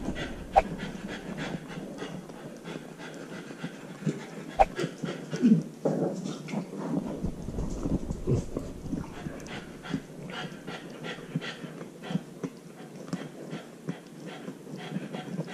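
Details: Husky puppy, a young female wearing a GoPro while alone at home, pants rhythmically in rapid breathy puffs throughout, broken by occasional thumps and brushing noises from the body-mounted camera.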